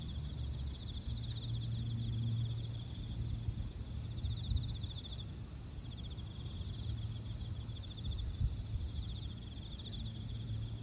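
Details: In autumn in Japan, a cricket chorus gives short trains of quick, bright pulses every few seconds, over a thin continuous high insect hiss and a deep background rumble.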